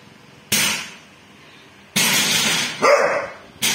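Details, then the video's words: Harsh, explosive barks from Bull, a dog barking at a thief, coming in three loud bursts roughly one and a half seconds apart over a quiet background. "hôm nay bull biết sủa ăn trộm rồi nhé"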